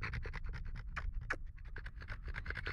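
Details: A pet French Bulldog, hot after getting warm, pants rapidly: a fast, rhythmic run of short breathy huffs, about nine per second, with faint low rumble underneath.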